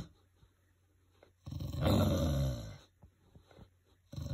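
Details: An English bulldog growling: a single deep, rumbling growl lasting about a second and a half, low and throaty, between quiet stretches with faint indoor background noise.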